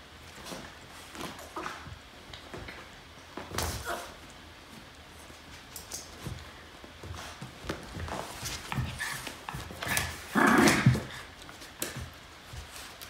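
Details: Norfolk Terriers wrestling on a mat indoors: scuffling and thumping paws throughout, with a short harmonic growl rising out of the play near the end, then more rustling and knocks.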